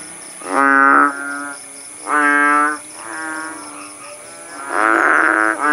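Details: Kodok bangkong frogs calling in a village in Aceh, Indonesia, once the rain had stopped: four or five loud, nasal, bellowing notes about a second apart, overlapping softer calls, and a persistent shrill background tone.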